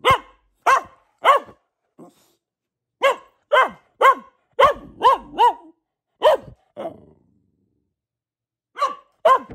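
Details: Sharp, bright barks from a female Boxer named Luna, a family pet, fired in irregular runs of two to five, with a softer half-bark and a gap of silence before two final barks.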